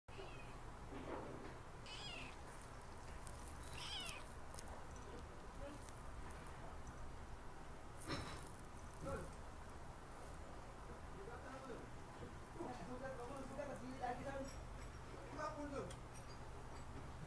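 A Siamese cat gives soft, short meows against a low background hum.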